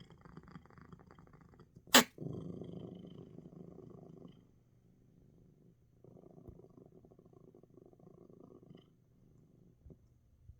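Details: Coco, a pet cat, purring strongly and relaxing indoors despite sneezing; a sharp sneeze burst near two seconds, then rough pulsed purring swells, pauses, and resumes in long low rumbling bouts.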